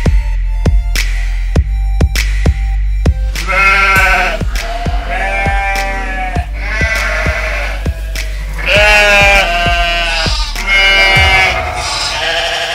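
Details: Sheep and lambs on a farm giving quavering, wavering bleats, about six separate calls from the fourth second onward, some long and drawn out. They are heard over loud music with a steady thumping beat throughout.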